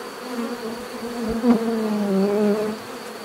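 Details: Bees buzzing in a natural setting, a steady droning hum around a low pitch with brief louder swells as individuals pass close, then fading slightly at the end.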